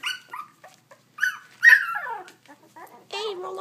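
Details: Puppies being handled and rolled over, uttering high squeaky whines and short yelps, with one longer falling whimper and a lower wavering whine at the end.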